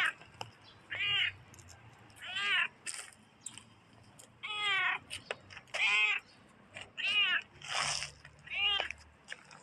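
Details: A black cat, described as a stray, meows repeatedly: short harmonic calls with arched, rising-then-falling contours, roughly eight in ten seconds at irregular spacing, with faint clicks and rustles between them.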